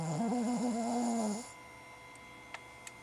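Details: A Cavalier King Charles Spaniel female, asleep and dreaming, gives a single loud, drawn-out, whistling snore that wavers in pitch.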